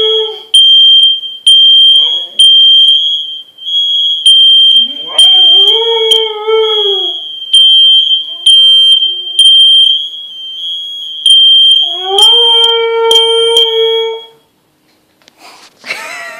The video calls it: Siberian husky howls to fire alarm